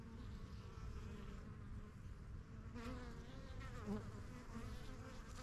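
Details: Honey bees swarming around their yellow backyard hive, a new colony from spring 2023 learning the area; low, even droning of many bees with brief higher buzzes of individuals passing by.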